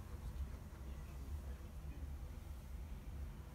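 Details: Steady low rumble like a passing vehicle or train, with no animal voice heard.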